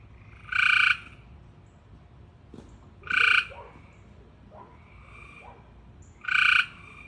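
A frog calls in short, harsh, nasal bursts with a bright buzzy tone, each lasting under half a second. The calls come about every two and a half seconds, with soft quieter chirps between them.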